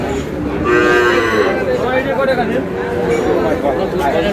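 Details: Moo from Sahiwal cattle amid a crowded livestock market in Barishal, Bangladesh, among bulls and heifer calves for sale; a wavering, tonal lowing that rises and falls, with men's chatter and price calls around it.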